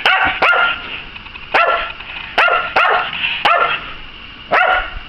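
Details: Obedient Eskimo dog barking on command: sharp, bright barks in single shots and quick pairs, about eight in five seconds, with a man's voice giving praise and commands just before.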